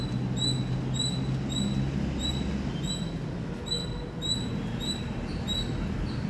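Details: Loud chirping from an Indian squirrel, a fairly even series of bright, high, clipped chirps roughly every half second, about eleven in all, against a constant low-pitched rumbling hum.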